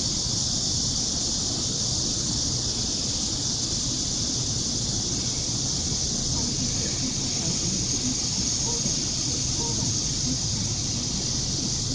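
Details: Blackish cicadas (Cryptotympana atrata) in Seoul, South Korea, during an August 2016 heatwave give a loud, continuous, harsh buzzing drone that never lets up, louder than a passing metro train or bus.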